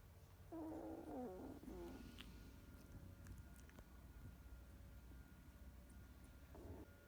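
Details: Sleepy two-week-old Goldador puppy yawning: a squeaky, wavering harmonic whine lasting about a second and a half, a brief softer squeak near the end, over a steady indoor hum.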